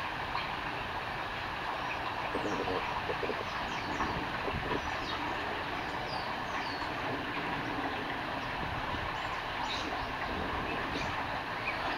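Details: Steady rumbling train or rail noise fills the whole recording, with faint high chirps near the top but no clear animal voice.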